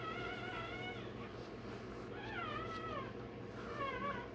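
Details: High, bending whines from a day-old Rottweiler puppy during tail docking and dewclaw removal, three drawn-out quavering cries against a steady background hum.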